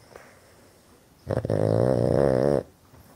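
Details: Oscar, a pet Boston Terrier asleep indoors with his eyes wide open, gives one loud, rough, buzzing snore lasting over a second, rising out of a quiet room.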